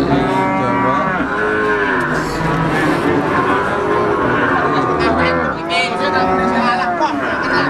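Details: Brahman breeding cows at the Sumber Lawang cattle market, several animals mooing in overlapping, drawn-out harmonic calls that rise and fall, over a constant hubbub of market noise.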